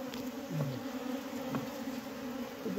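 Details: Honey bees humming in a sick beehive in Humla: an even low buzz with a bright overtone, a brief deeper murmur and scattered taps over it.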